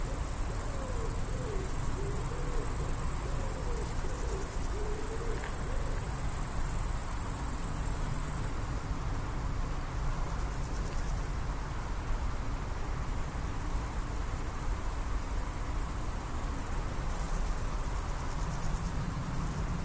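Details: A great green bush-cricket stridulates in a steady, very high, hissing buzz that runs without a break, around the time it was filmed laying eggs into the earth with its ovipositor.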